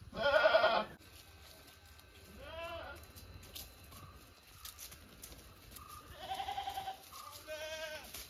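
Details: Domestic goats calling: a loud opening bleat followed by several shorter, quieter quavering bleats from other animals, over low background noise.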